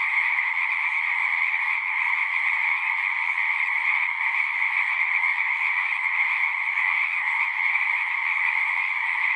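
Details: Many frogs singing at once, their calls fused into a continuous shrill, slightly rippling trill with a lower accompanying tone, sustained without a break in a natural setting.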